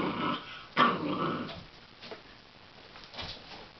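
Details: Puppy playing with a broom indoors: a low, rough growl for about a second and a half, broken by a sharp louder burst, then fainter grumbling growls in a small room.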